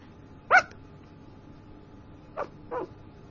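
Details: Sleeping puppy dreaming and talking in its sleep: a brief high whimpering yelp, then two softer short whimpers about two seconds later, over a quiet, faintly humming room.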